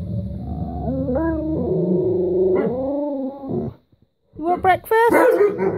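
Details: Pet Alaskan Malamute and Husky, Guinness and Carling, pleading indoors for breakfast: a long sustained, stepping moan that rises and falls in pitch for several seconds, a brief silence, then wobbling yodel-like howls, with a woman's voice speaking softly.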